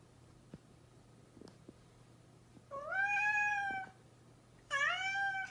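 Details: House cat, after a few quiet clicks and taps, lets out a long bright meow lasting about a second, then a second shorter, higher-starting meow, with a low electrical hum in the background.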